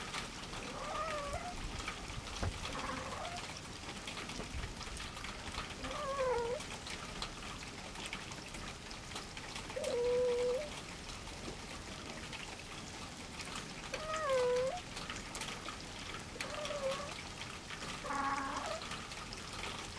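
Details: On a farm, male cat Louie meets a small, friendly black female newcomer for the first time. Short, bending meows repeat every few seconds over a steady crackling hiss like light rain.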